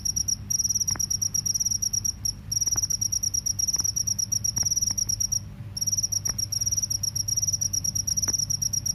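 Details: Rice-field or forest cricket calling: a steady, piercing, rapidly pulsed trill in long runs, interrupted by a few short gaps, with a faint low hum underneath.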